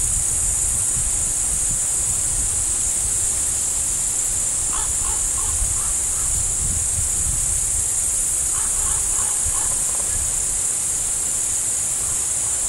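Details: Beside a deer, crickets keep up a constant high shimmering chirr, while two short clusters of stacked, clipped notes from another animal sound in the middle.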